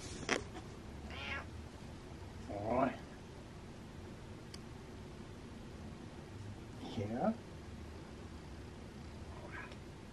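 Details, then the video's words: Happy meowing from Butters the cat: a few brief, bright mews spaced several seconds apart, one doubled, with low room hum underneath and a quiet background. "Happy Meow Meows"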